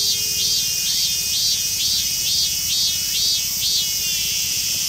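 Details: Mikado-form minmin cicada, fully emerald green, singing in a park in western Saitama, Japan. A piercing, steady drone carries a rapid series of repeated swelling, wavering notes, about two or three per second, with low background rumble.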